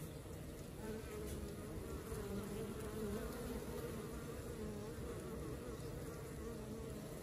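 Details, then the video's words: Working honey bee colony producing a continuous layered drone, with slight wavering in the mid bands as many wingbeats blend into one buzz. "Xem đàn ong mật hoạt động như thế nào"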